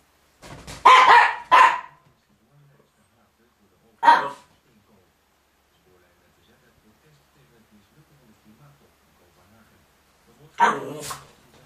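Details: Miniature Pinscher driving another dog off the rug indoors, December 2009: a rapid double bark, then single sharp barks about two and six seconds apart, with quiet between.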